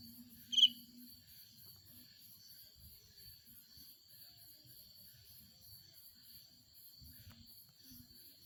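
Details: A cricket stridulating its wings on a dark night in a rural village gives a steady, high, ringing trill, with a faster pulsed buzz layered above it.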